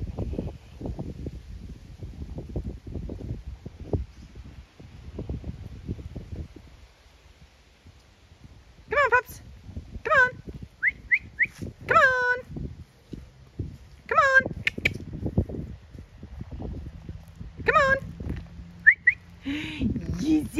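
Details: Farm dogs in County Kilkenny, Ireland, growl during a morning tug of war over a scrap of timber, trotting shoulder to shoulder. Low, rough rumbling pulses fill the first seven seconds, then higher squealing harmonic cries follow, with a woman praising the dogs.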